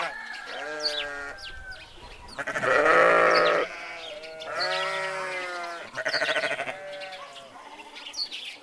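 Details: Grazing sheep kept together with goats bleat almost without pause: long, shaky, harmonic calls overlap, two of them loud and vibrating, while birds twitter faintly in the distance.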